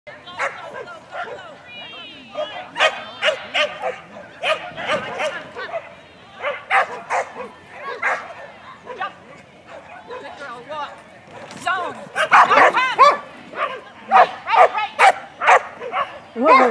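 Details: Female dog barking repeatedly during a Masters Standard agility run on July 15, 2018: sharp, bursting barks roughly twice per second, in irregular runs with brief pauses, mixed with a handler's voice.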